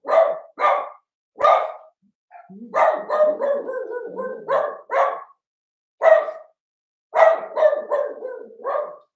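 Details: Cavalier King Charles Spaniel puppies, Ruby and Blenheim coat colour, born 06/09/2022, bark through the night of 8/27: repeated high yaps, some run together into rapid chattering volleys, with gaps between bursts.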